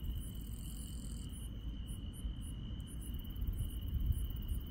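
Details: Night insects in the countryside, giving one continuous high-pitched trill with a faster, very high chirping layer that breaks off partway through, over steady low background rumble.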